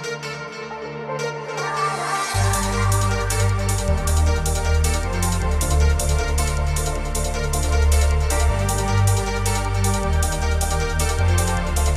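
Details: Loud electronic dance music with a pounding bass beat and fast rhythmic pulses runs throughout, with no animal voice.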